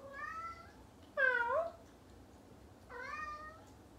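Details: A female Bengal cat talks with a person, giving three chatty meows, with the middle one louder and more strained.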